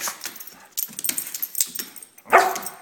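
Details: Sophie, a pet Brittany spaniel, doing her dance while wanting something, gives one short, tonal, whining bark near the end after scattered tapping and rustling, with a person repeatedly asking what she wants.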